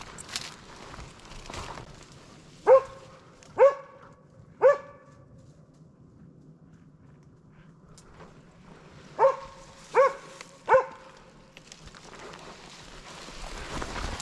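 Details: Slovakian hound Arrow holding a wild boar at bay on a November 2022 driven hunt in Sweden: two sets of three evenly spaced, resonant barks separated by a long pause, with rustling and faint noise between them.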